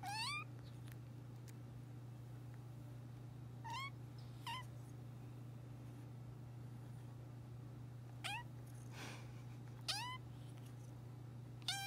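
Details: Three-month-old kitten giving cute little meows indoors: short, high, thin mews that rise then drop slightly, about six of them spaced irregularly a few seconds apart, over a steady low electrical hum.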